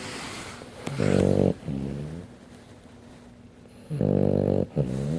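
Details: Small Frenchton dog of 15 pounds, sleeping indoors and snoring loudly: buzzy, rasping snore bursts in pairs, a long one then a shorter one, with quieter breathing between the pairs.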